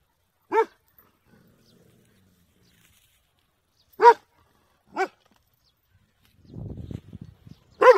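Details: Dog barking: four sharp, loud single barks spaced irregularly, two close together near the middle, with a brief rustling, scuffling noise before the final bark.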